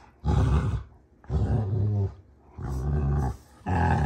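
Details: During play fighting between Rottweilers June and Kenai, deep harmonic growls sound in four separate bursts, each lasting under a second.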